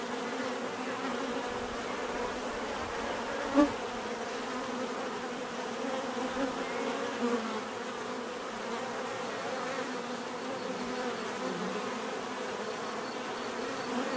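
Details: Steady hum of a bee swarm, layered buzzing tones holding level, one bee passing close for a short louder buzz midway.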